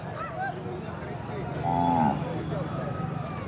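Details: Kajali Khillar heifers gathered for champion selection at the Pusegaon cattle show in Maharashtra, 2025; a short, tonal moo that rises and then dips is heard midway over loudspeaker announcements and crowd murmur.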